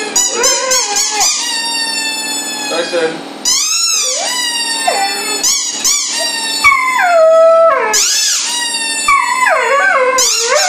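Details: Tyson the dog howls and yips in short, sliding, whining notes that rise and fall, several phrases broken by brief pauses, one longer falling wail near the middle, inside a room.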